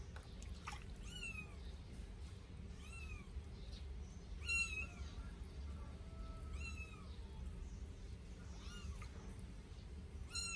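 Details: Two 8-day-old Sphynx kittens being bathed for the first time give thin, high, arched mews, spaced every one to two seconds, over a steady low rumble with occasional splashing.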